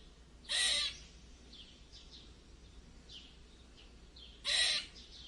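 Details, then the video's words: Squirrel letting out two short, noisy rasping squeaks roughly four seconds apart, with soft faint chirps between them against a quiet background. "Squirrel Weird Squeek Sound Effect"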